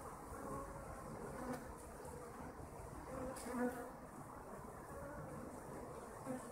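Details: Kept honeybees droning continuously, a low, rough hum with brief louder buzzes as single bees fly near the recorder, around three and a half seconds and at the end.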